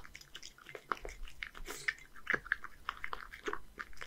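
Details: Softer, moist chewing with occasional crisp bites: Hige, a male Scottish Fold cat, one year old, living in Japan, eating horse mackerel with dry food in a small indoor room.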